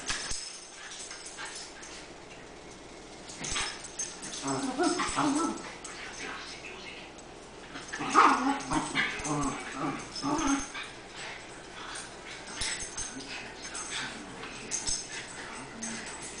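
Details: Two sister dogs, Tango and Mambo, recently rescued puppy mill breeders, playing together; short tonal whines and growly yips come in bursts around the middle, over a steady background hiss with scattered clicks and some human voice.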